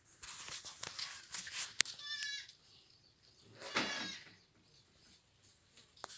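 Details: Young goat kids eating leaves: a brief, thin harmonic bleat near two seconds, then a louder, rougher, drawn-out bleat around four seconds, with scattered clicks and rustling between the calls.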